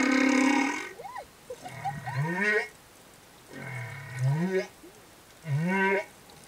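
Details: Humpback whale male escort singing beside a female and calf over reefs: low, moo-like groans rising into bright harmonic upsweeps, repeated roughly every one and a half seconds, with brief high squeaks between phrases.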